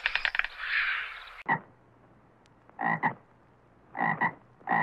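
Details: A frog croaks in short, throaty bursts, often doubled, about once a second. Before the croaks comes a brief burst of harsh rattling noise, and the gaps between calls are quiet.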